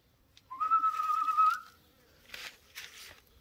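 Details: Jack Russell Terrier puppies: one steady, high whistled whine holding level for about a second, followed by soft rustling and shuffling noises.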